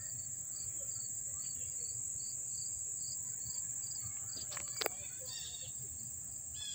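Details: Up-close crickets at Dobbs Ferry, New York, on August 1, 2014, keep a constant shrill high trill, overlaid by evenly spaced short pulsed chirps about twice a second; a brief sharp knock near the end.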